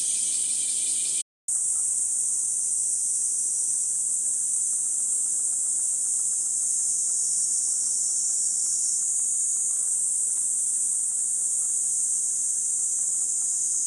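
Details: Cicadas shrilling along a forest walking path in Gifu Prefectural Hyakunen Park, Japan, on a 37°C summer morning, 23 July. A dense, steady, high hiss rolls on without pause, broken only by a brief dropout near the start.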